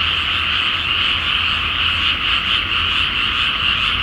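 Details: Many frogs croaking together at night in a water-filled rice field before planting, under a full moon in Japan; dense trilled croaks overlap into a constant pulsing chorus, roughly two beats a second.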